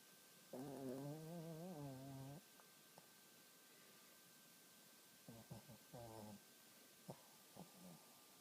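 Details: Cody, a pet dog, snoring loudly at night: a long, wavering, tonal nasal snore lasting about two seconds, then shorter broken snorts about three seconds later, in an otherwise quiet room.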